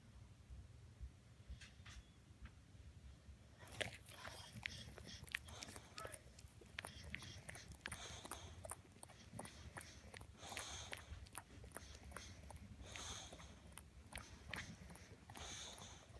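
An English Bulldog chews noisily on a toy, with wet clicking, gnawing and snuffling sounds.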